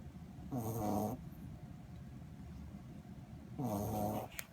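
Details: Snoring from a dozing Corgi puppy: two raspy, vibrating in-breaths about three seconds apart, a faint click near the end, otherwise quiet room tone.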